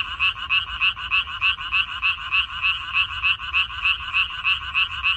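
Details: Frogs calling from a minari field in Korea, May 2021: loud, evenly spaced rasping croaks repeating roughly three times per second, each a short buzzy pulse, over a quiet low background hum.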